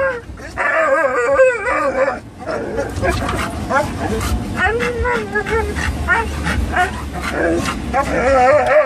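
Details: Three excited dogs, a Norwegian Elkhound mix, a Labrador mix and a Rat Terrier, riding in a car's cargo pen on the way to a pet store; high wavering whines and howl-like cries rise and fall, with brief yips and car rumble beneath.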